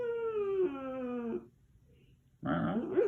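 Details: Whining pet dog indoors: a drawn-out, tonal, nasal whine sliding slowly downward for about a second and a half, then a pause and a second, rougher wavering whine starting near the end.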